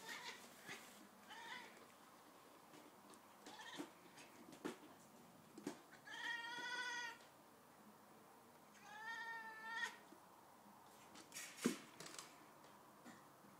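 A Siamese cat chatters in bursts of quavering, rapidly wavering chirps, with a few short clicks between.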